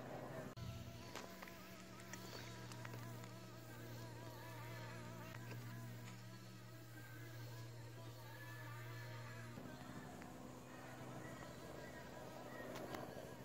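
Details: Leafcutter bee nesting in a sandstone wall in Australia; a steady low droning hum with wavering overtones, fairly loud and close, breaks off about two-thirds through and gives way to a fainter, steadier hum.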